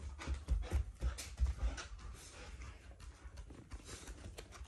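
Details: Shiba Inu growling while trying to get the Labrador's thing, an affectionate rather than angry sound from a family pet indoors; low rumbling pulses in the first two seconds, then quieter breathy rumbles.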